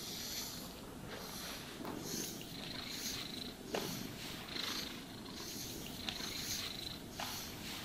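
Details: Domestic cat purring steadily while being brushed and groomed, a continuous low rumbling vibration underneath repeated soft brushing strokes that sweep across the fur every second or so, with no talking.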